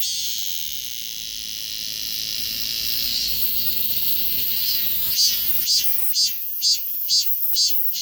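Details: A cicada's high, continuous electric buzz, recorded with a Galaxy S24 Ultra, holds for several seconds and then turns into crisp, regular pulses repeated about every half second.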